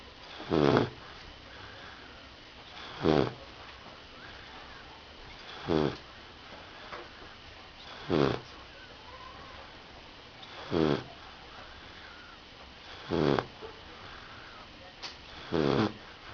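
A Rottweiler puppy snores in rough, rasping bursts roughly every two and a half seconds.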